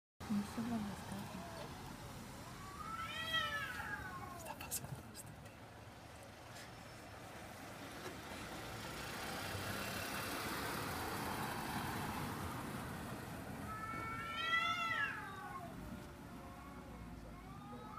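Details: Cats in London fighting over a garbage container: two drawn-out, wavering yowls rise and fall in pitch, about eleven seconds apart, over a steady rumble of street traffic.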